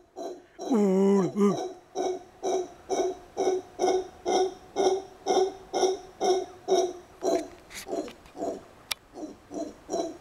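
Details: Kept congo (howler) monkey talking with a person. A brief wavering voice-like call is followed by about seventeen steady, deep, throaty hoots at roughly two per second in a small room.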